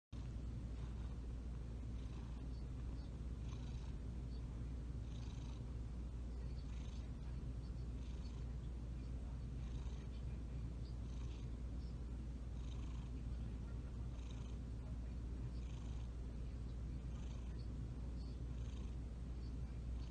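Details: A domestic cat purring while kneading: a steady, deep, continuous rumble that holds evenly for the whole stretch with no breaks, faint soft rustling sounds above it.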